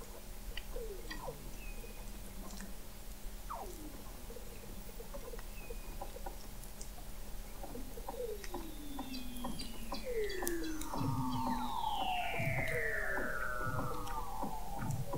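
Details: Weddell seals calling beneath the sea ice, McMurdo Sound, Antarctica, November 2017, from an observatory 21 m under the ice: scattered quick chirps and falling whistles, building toward a cluster of loud, layered downward sweeps near the end.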